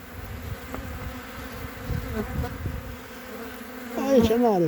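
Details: Honey bees crowded on three frames in mid-February 2021, a continuous low hum with soft rumbling handling noise, ending in a brief wavering tonal sound that rises and falls.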